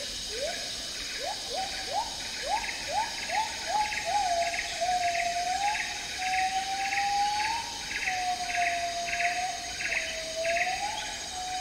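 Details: Agile Gibbon song in Malaysia's tropical rainforest. Short upswept notes come about twice a second, then merge into a long wavering whistled note that rises and falls. A rhythmic pulsing insect chorus and constant high buzz run behind.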